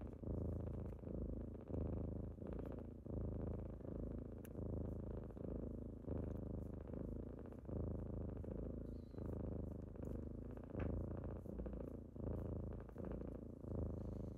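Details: Kittens purring on a typical morning as they wake their owner, a deep steady rumble that swells and fades with each breath, roughly every second and a half, indoors with a few faint soft clicks and rustles.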